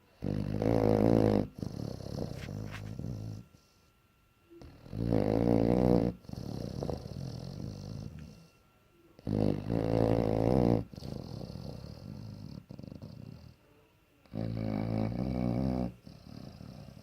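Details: Ziggy the bloodhound snores loudly, "like a jet engine", in deep, rattling bursts that return about every four seconds, with quiet breaths between.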